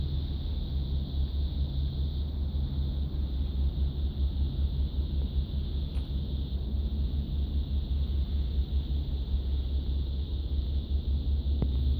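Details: A continuous low rumble like a vehicle or engine dominates throughout. No animal calls stand out above the noise.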